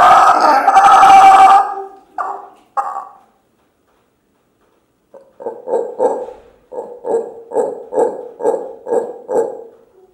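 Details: Juvenile rescued howler monkey Mango, who learned to howl and now leads his group: a brief loud roar breaks into short hoarse bursts, then after a pause a fast series of rhythmic guttural grunts, about four per second.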